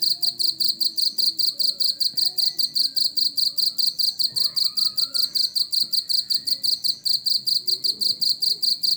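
A cricket chirps in rapid, evenly pulsed bursts, a high shrill trill repeating steadily.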